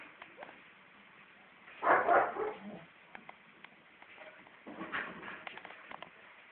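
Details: Female Siberian Husky puppy, four months old, gives two short, rough barks several seconds apart, each a brief noisy burst, with quiet room noise in between.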